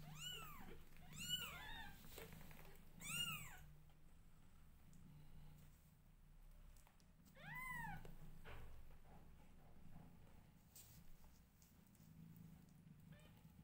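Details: Newborn domestic kittens meowing loudly while their mother grooms them indoors: a quick run of three arching, rising-then-falling meows in the first few seconds, then a longer one near eight seconds, over a steady low hum.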